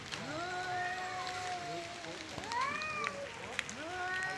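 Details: Male cats fighting over area and breeding, one holding a long, low, steady yowl while the other answers with rising, arching cries. The calls sound tense and baby-like, with faint noise behind.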